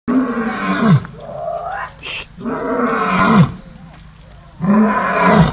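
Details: A lion at Gulf Shores Zoo gives deep, throaty roars in three bursts, each a groaning swell dropping in pitch at the end, roaring after neighbouring animals started fighting.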